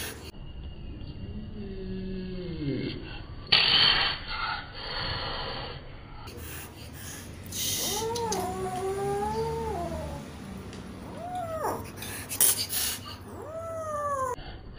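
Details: Cat hissing at the person filming, with short broad rushes of hissing breath interleaved with several drawn-out, wavering yowls that rise then fall, each lasting about a second, in an indoor setting.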